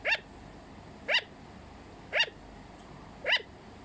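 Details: Captive pet sugar glider calling with four quick, high yipping barks, evenly repeated about once per second, each brief and sharp with a slight upward inflection, against faint room hiss.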